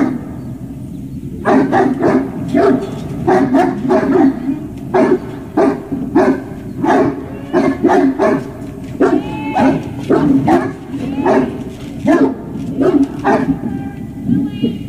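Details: A dog barks during a big ball game at a service dog project in Ipswich, Massachusetts, USA, one September 2018 morning; sharp, loud barks come in irregular runs, often doubled or tripled, with brief whines between.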